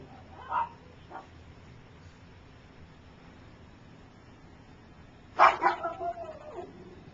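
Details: Gypsy's three-week-old puppies learning to walk. Two brief faint squeaks early, then a long quiet gap, then a sharp yelp breaking into a falling whine that trails off near the end.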